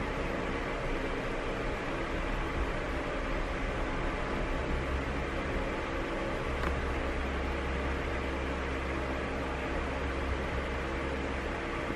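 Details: Constant mechanical fan or appliance roar with a low hum fills the room throughout.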